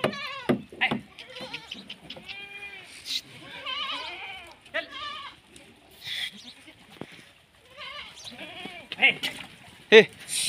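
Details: Male Kota goat on a farm in Rajasthan giving several short, quavering, nasal bleats between stretches of people talking and a shout, with knocks and handling noises.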